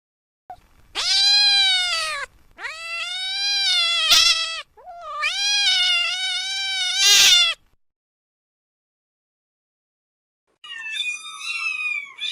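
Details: Kitten meows in a quick series, three long sustained harmonic cries with short gaps, each holding a steady pitch, then a pause and a fainter, higher wavering meow near the end.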